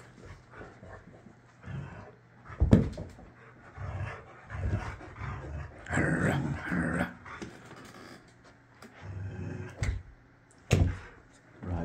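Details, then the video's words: Layla, a Boxer dog indoors, throwing a tantrum because she cannot get her way, growls in low rumbling bursts with sharp grunts and snorts between them, then stretches of higher grumbling, in a small room. "Boxer dog throws a huge Tantrum over nothing."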